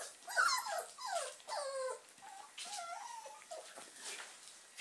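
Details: Playing German Pinschers of the Ettaler Mandl kennel, indoors: a string of high, descending whines and yelps in quick succession, then softer drawn-out whimpers, with scratching and rustling of play in the background.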